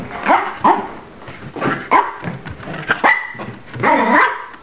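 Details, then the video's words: Miniature Pinscher that hates being recorded barks at the camera: sharp, high yapping barks spaced about every half second to second, ending in a longer whiny bark. "Miniature Pinscher gets upset with camera"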